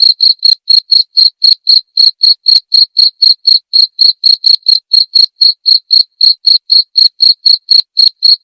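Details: A cricket's clean, high chirps, meant as nightly tutoring material for white-rumped shama song training. Brief bright pulses follow each other roughly four per second, steady and unbroken for the whole stretch, with a silent background.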